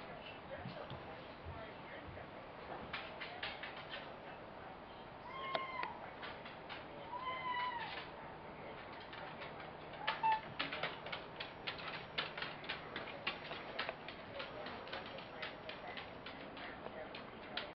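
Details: Frieda the cat talking before meeting Sky the Schnauzer: a few short rising-falling meows near the start, then a stretch of clattering, tapping and bumping noises with background hiss.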